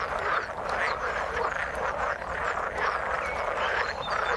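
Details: Many frogs croak together in the water, their rapid, rattling calls overlapping continuously into a thick chorus, with short higher chirps flicking through the mix.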